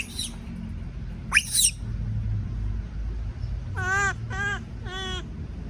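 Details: Frightened baby monkey left alone, crying: two shrill high screams, then three evenly spaced wavering, harmonic wails of about a third of a second each, over a low background rumble.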